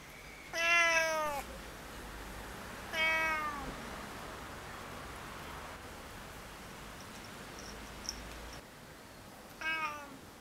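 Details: In the sun, a female Siamese and a male Tonkinese cat laze together until the male starts picking on her. Three loud, clear meows, each bending downward, come at uneven gaps of two to six seconds over a quiet background.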